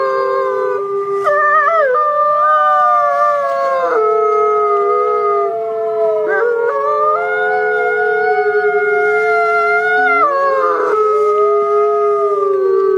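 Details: Trail camera recording of wolf howls, a sustained chorus of several drawn-out tonal voices holding steady pitches, with occasional sharp glides and breaks, lasting throughout.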